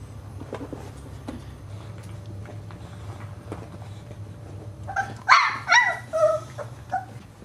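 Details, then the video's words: One-month-old Boxer puppies at play; after several seconds of low rumbling background, a burst of short, high yelping barks and whines arrives in quick succession near the end, each with bright harmonic bands. "Cute one month Old Boxer Puppies Playing"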